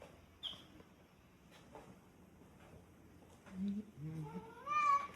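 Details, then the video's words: Cat perched on top of a fridge, indoors: mostly quiet room with faint squeaks, then a short, clear, rising and falling harmonic meow in the final second, with a low murmur just before it. "Cat on the fridge"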